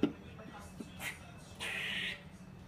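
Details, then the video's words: Squirrel hanging upside-down on netting 100 feet up in Whitechapel, East London, alarmed at a cat below: a single harsh, buzzy, hissing burst lasting about half a second, preceded by fainter rasping sounds, over low background hum. "Squirrel freaks out"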